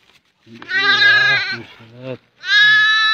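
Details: Goat kid trapped in a crack in the ground, found during a hunt and rescued; a long wavering harmonic bleat, then a second loud bleat after a short pause, with low human voices between.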